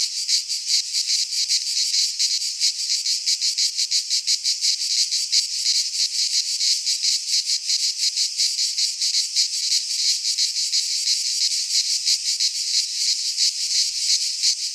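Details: Several cicadas in a Greek pine forest in midsummer produce an unbroken, piercing buzzing hiss, rhythmically throbbing about three times each second for the whole stretch, with nothing else audible.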